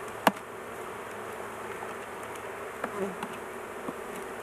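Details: Many honey bees hum steadily at an opened hive while beekeepers work and the queen is kept caged for safety; a sharp tap near the start and a few soft knocks over the even drone.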